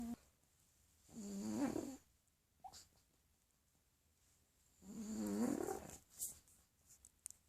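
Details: A pug sleeping indoors, giving two long, low snoring breaths about three seconds apart, each a rough rattling drone that rises slightly, with quiet pauses between.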